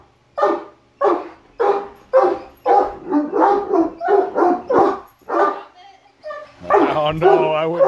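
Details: Male Great Dane, one of three in a home, barking in a freakout at a Halloween mask: about eleven deep, booming barks roughly every half second, then a human voice speaking over the end.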